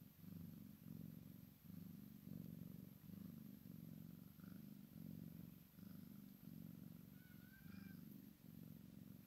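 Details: Maine Coon x Sphynx kitten purring while playing with its mother: a steady low rumbling purr in pulsing bursts, roughly two pulses a second, with a few faint higher squeaks over the top.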